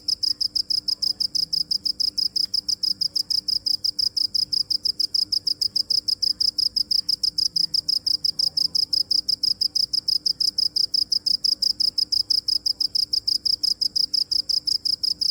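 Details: A cricket chirps continuously: high, piercing pulses at a brisk, even rhythm, slightly faster than three per second, unbroken to the end over a soft, low background hum.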